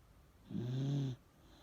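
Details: Elderly Miniature Dachshund asleep and snoring: a single drawn-out, low nasal snore lasting under a second, with an otherwise quiet room.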